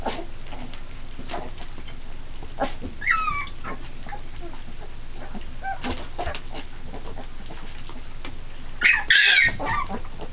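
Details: Pit Bull puppies three weeks old, feeding on puppy formula and playing together; a thin whine falling in pitch, then a few quiet clicks and licks, ending in a sharp high squeal against a constant low hum.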